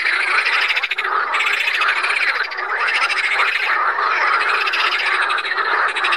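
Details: Chorus of Pelophylax water frogs at Saint Orens de Gameville, France: many frogs giving fast, buzzy pulsed croaks that overlap into a steady wall of sound, with brief dips in intensity.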